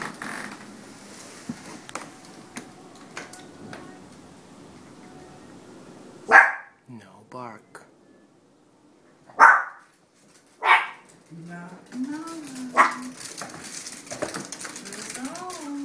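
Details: Pet Chihuahuas reacting as their owner arrives home after time away, as they do every time: several sharp, loud barks around six to eleven seconds, with excited whining and human voices after.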